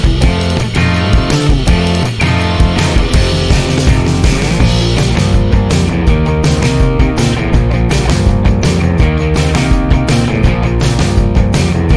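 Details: Loud, dense rock music with distorted guitars and drums fills the whole stretch, with no animal sound.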